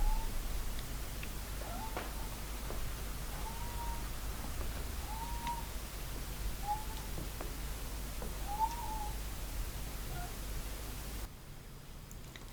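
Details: A female domestic cat in heat coos very softly, a trill variant heard as soft, short, high-pitched murmurs every second or two.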